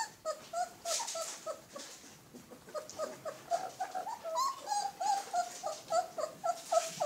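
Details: Alaskan Malamute pups whimpering, short high whiny squeaks repeated rapidly, several per second, some rising and falling, with faint scuffling in the background.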